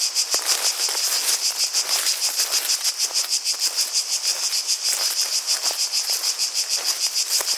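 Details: Cicadas singing in a dense, buzzy chorus, a steady high hiss pulsing about three times a second, with faint clicks and rustles underneath that could be water or footsteps.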